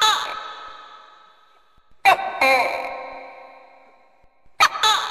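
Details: A tokay gecko, a pest feared in swiftlet houses, gives loud paired barking notes that ring on in a strong echo; the recording's pitch has been altered.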